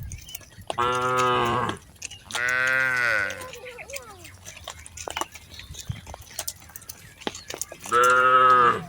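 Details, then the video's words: Tame cattle herded through a rice field in Indonesia: three loud, drawn-out, deep moos, each lasting about a second, with quiet gaps and faint rustling between them. "Suara Sapi Lembu Jinak"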